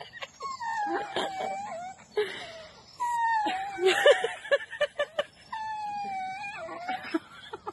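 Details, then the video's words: Dogs at play, voicing drawn-out wavering whines and moans that rise and fall, broken by short yips and clicks, with a pause between bursts. "Dogs masti 🤣 funny life sare dogs masti kr rhe h"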